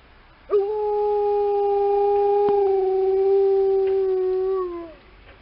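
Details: Liza, an Alaskan Malamute, howls on a snowy December morning walk in response to a passing ambulance: one long steady tone held about four seconds, dipping and fading at the end, with clear overtones stacked above.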